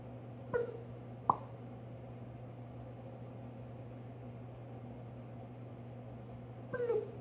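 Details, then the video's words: Cat making strange sounds indoors: two short harmonic chirping calls that waver and drop in pitch, near the start and end, with a sharp click between them over a steady low hum. "Strange sounds"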